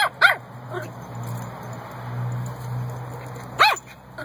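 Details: Puppies barking in a compilation: a few short, high yipping barks with arched harmonic bands, one near the start and another after a pause of about three seconds, over a steady low background hum.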